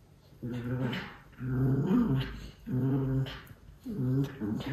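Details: Two young male white Miniature Schnauzer brothers in an energy outburst of about two minutes give low, growly barking grumbles in drawn-out bursts about once a second; Aroostook County, Maine.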